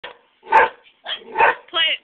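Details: Pet Greyhound on a back porch barking excitedly while greyhound videos play: three loud, rough barks about half a second apart, ending in a shorter harmonic yelp.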